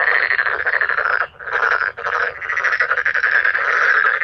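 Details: Dense chorus of calling male black-spotted pond frogs. Overlapping harsh, buzzy croaks run almost without a break, with two short dips in loudness.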